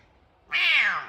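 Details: F2 Savannah cat indoors wanting attention, giving a single loud, high, drawn-out meow of about half a second that eases slightly downward at the end, in a quiet room.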